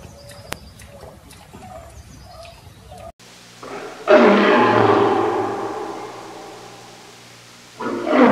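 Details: Lion giving a long, loud, rasping roar of about four seconds that slowly fades, after a quiet stretch with faint clicks; another roar begins just as the sound ends.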